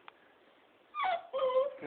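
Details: Young beagle giving two high, tonal whining yelps in quick succession, each sliding slightly in pitch, after a near-silent start; a woman coaxes it softly in Hungarian nearby.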